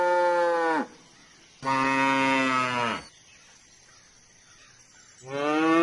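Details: Cow repeatedly mooing: three strong, buzzy, harmonic-rich moos, each about a second or more long, with quiet pauses between, the last starting near the end.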